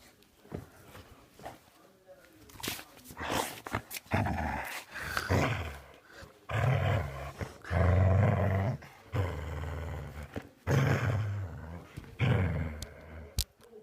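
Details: Pet dog making a funny noise indoors: a long run of deep, rumbling growl-like bursts, some drawn out for a second or more, with short gaps between them and a person talking briefly in places.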